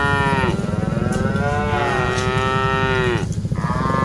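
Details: A herd of dozens of cattle being driven: one long, drawn-out bellowing moo with rich harmonics, followed by the start of another, over a continuous low rumble.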